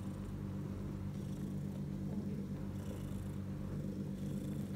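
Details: Low, even purr of a mother cat lying with her newborn litter of three male and one female kittens, six hours after birth; a dense rumble with only faint airy breaths above it.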